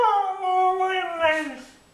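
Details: Mishka the dog 'saying' I want my Mommy: a short, talking-style howl, steady then wavering, with rich harmonics, rising in loudness at the end before sliding down and fading out, indoors.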